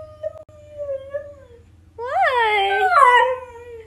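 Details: Siberian Husky Atlas howls in complaint, wanting to go outside with the boys, filmed on an iPhone XR; a thin falling whine first, then a loud rising-and-falling howl rich in harmonics, with a low background hum.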